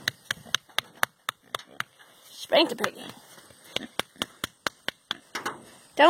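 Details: A happy, excited pet pig getting pets, scratches and ear rubs gives quick, clipped grunts in a steady series, with a person talking in between. Pig.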